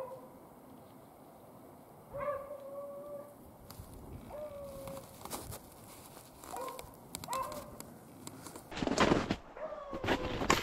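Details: During a February rabbit hunt in upstate New York, Beagles give scattered drawn-out bays and short yelps a few seconds apart, with brush crashing and footsteps loud near the end.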